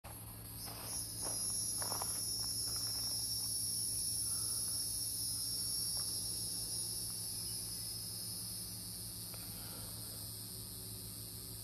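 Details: Hieroglyphic cicadas (Neocicada hieroglyphica) singing in Brendan T Byrne park, New Jersey: a steady, high, shimmering buzz held without a break, with soft knocks and rustles near the start and a low background hum.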